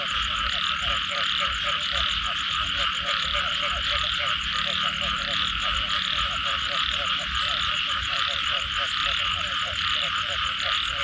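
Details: Post-rain Thai frog chorus: strong, busy croaking pulses stacked in a low band, a bright continuous trill higher up, steady hiss, and three brief sharp high ticks near the end.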